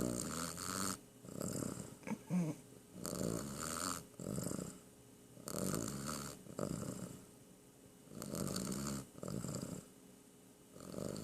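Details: A sleeping cat named Ambrose snores steadily, each rough, wheezy inhale-exhale lasting about a second, repeating in a slow even rhythm with near-silent gaps in a quiet room.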